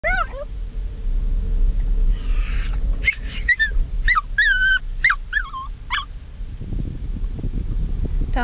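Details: Female Chihuahua whining with excitement about going to doggie school: a string of short, high, tonal whimpers and yips with bending pitch, several bursts in quick succession, over low rumbling background noise, likely a moving car.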